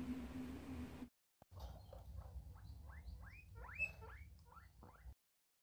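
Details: A guinea pig, shown after a brief cut to silence, makes quick upward-swooping squeaks that grow louder and run close together for about three seconds over faint background hum before stopping abruptly.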